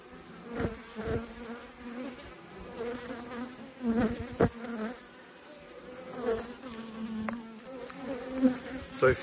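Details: Honey bees during an autumn hive inspection, in a colony that swarmed and raised a new queen: a steady, low droning hum with a higher overtone runs throughout, broken by several sharp knocks and taps.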